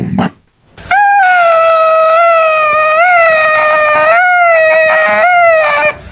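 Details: Domestic cat making a weird, loud, sustained yowl lasting about five seconds, a steady harmonic-rich tone with slight wavering pitch bends, loud and clear; a brief short cry precedes it.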